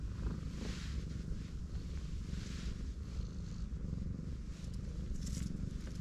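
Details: Heavily pregnant black cat lying on her back while her large belly is stroked; a steady deep purr rumbles throughout, with faint brushing noises of fur being handled.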